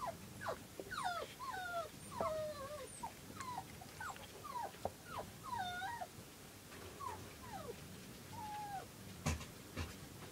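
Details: Two silver Toy Poodle puppies, born August 5 and two days old on August 7, 2011, with their mother Cleo. They give high, squeaky whimpers that bend up and down in quick clusters, ease off mid-clip, then return, with a sharp knock near the end.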